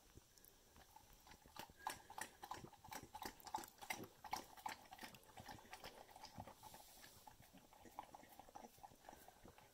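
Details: A Bluetick Beagle drinking a leftover tablespoon of milk from a cereal bowl, a favourite snack; rapid wet slurping and clicking laps, roughly three per second, uneven in rhythm and steady throughout.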